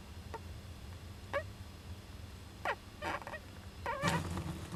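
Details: Japanese giant flying squirrel young in an owl nest box, recorded 19 July 2010. Sparse cries with falling, bending notes come every second or so and grow louder toward the end, over a quiet low background hum.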